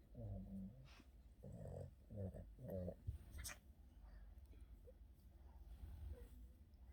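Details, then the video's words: Napping Boston terrier in the afternoon: four low, throaty snoring breaths in the first three seconds, then quieter breathing and faint soft rustling. "Boston terrier afternoon nap, scratches and snoring"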